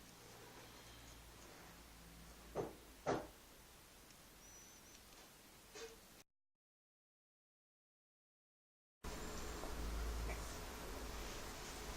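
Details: Two sharp knocks, like a door moving, sound over a low indoor hum, followed by a brief faint squeak. After a short silence, a steady low rumble of background noise takes over.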